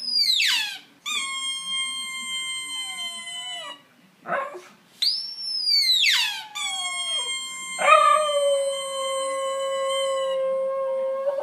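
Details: Indoor Italian Greyhound singing: long high howls that start with a sharp falling slide then hold steady tones, one rising arched howl, four phrases back to back with brief gaps.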